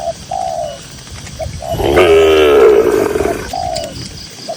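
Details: Cattle among dozens of cows strolling across a green pasture: one long, loud, harmonic-rich moo lasting over a second, with short soft dove-like coos repeating before and after it.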